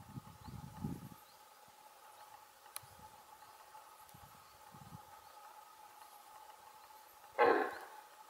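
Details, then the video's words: A female red deer gives a single short, harsh alarm bark, like a large dog's bark, after a stretch of quiet. "Verso di allarme del Cervo"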